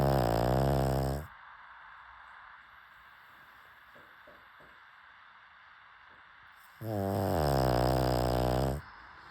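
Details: Pug. A pug gives two long, harsh snores, each a rough, buzzing rattle lasting over a second. Between them comes a stretch of near silence with only faint soft clicks.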